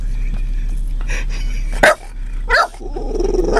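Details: Female Boston Terrier inside a car on a back road in Llano, Texas, barking at cows resting by a fence after one stands up and looks at her: two sharp, loud barks about 0.7 seconds apart, over low engine rumble, with a person's voice just before.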